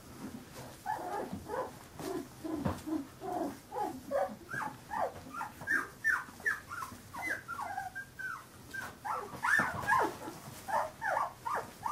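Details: Several 15-day-old Carolina Dog puppies give high, squeaky whimpers and yelps that rise and fall. Short bursts repeat about two or three times a second and grow louder toward the end, with faint rustling underneath.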